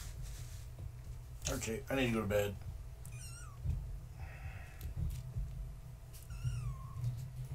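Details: Young kittens of the tabby cat Gaia, born 14 March 2017, at bedtime indoors as someone visits to say goodnight: a person talks, then two thin falling meows follow a few seconds apart over low room hum.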